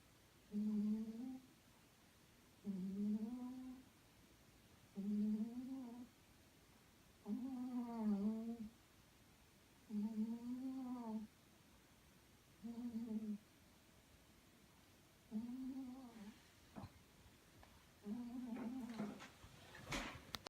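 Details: Sleeping little pet cat snoring in a small room, likened to a tank: eight steady rasping, rumbling breaths about every two and a half seconds, with a few soft rustling clicks near the end.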